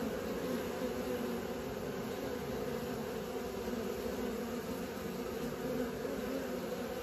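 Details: Many honey bees in flight practice produce an unbroken, even droning buzz, low and dense, with no other sounds standing out.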